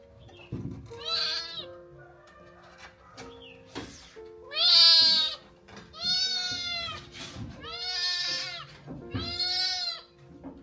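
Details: Rescued kittens, five abandoned in a field at 2 degrees Celsius and now recovered, playing happily together; a run of high, harmonic meows with rising-falling contours, five main calls spread over ten seconds, over steady low background music.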